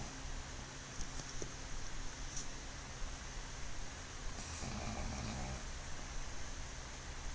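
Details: Sleeping black pug called Mozuku, newly arrived at home, gives a short throaty snore late in the stretch, preceded by quiet breaths and a few faint clicks under persistent hiss.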